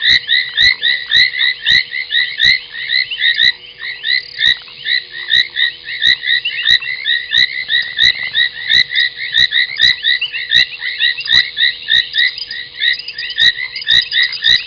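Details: A chorus of foam nest tree frogs croaking late at night by Gowrie dam, a waterhole on Djuma Game Reserve in South Africa's Sabi Sand, 30 January 2021; overlapping creaky calls pour out continuously, punctuated by regular sharp ticks.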